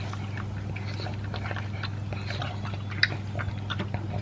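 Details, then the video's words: A two-year-old pug named Elvis chewing dry food with beef: scattered soft crunches and mouth clicks with one sharp snap near the end, a steady low electrical hum beneath. "Pug Eating Sound"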